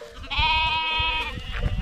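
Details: A single Akkaraman lamb, one of lambs separated from their mothers and calling for them, gives a long, steady, nasal bleat lasting about a second, with faint flock bleats and low thumping handling noise around it.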